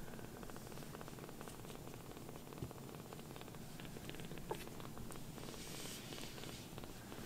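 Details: Steady, buzzy purring from foster kitten Sokkun, a protected baby cat with sock-patterned feet, nestled affectionately on its carer's lap; low pulsing drone with light rustling and brief soft ticks in a quiet room.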